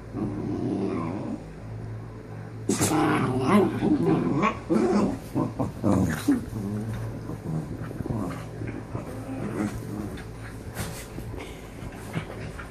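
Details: Two dogs arguing over a sleeping spot indoors: low rumbling growls that rise into a scuffle of snarls and short yips, continuing in uneven bursts and fading toward the end, with a steady low hum behind.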